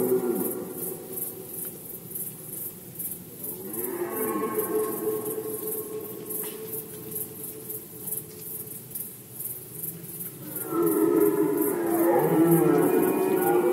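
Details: Red deer roaring in the rut season, Poland, 2020. Drawn-out groaning bellows with rich harmonics come in two main bouts, the second louder and closer near the end, over a continuous high pulsing insect-like background.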